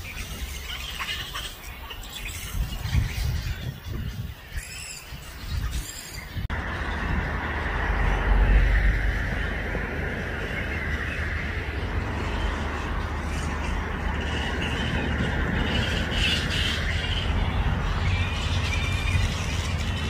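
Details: Grey-headed flying foxes at a roost of over 5000 in Balgowlah, a Sydney suburb near Manly, Australia, around 1 PM; after a quiet opening, a continuous squealing chatter rises from the colony over steady low wind and traffic rumble.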